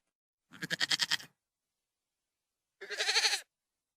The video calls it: Goat - Sound Effect